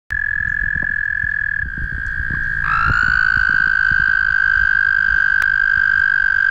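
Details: Noisy wild toads mating at the Guildwood waterfront, passed during a ride: long, unbroken, steady musical trills at one even pitch from overlapping callers, over a low rumbling background.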